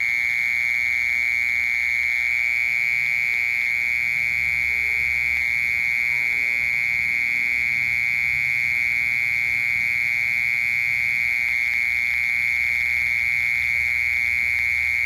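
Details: A mole cricket sings a steady, piercing trill that runs on without pause, heard alongside a cricket.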